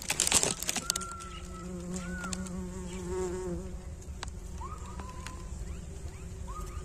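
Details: Small bees at a honey hive, producing honey; a steady low drone hums throughout, with clicks and rustles near the start and short rising bird whistles scattered over the buzzing.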